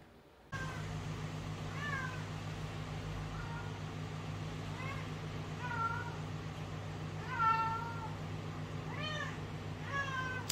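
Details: House cat giving a run of short, arched meows roughly every second or two, some doubled, over a steady low hum in the background.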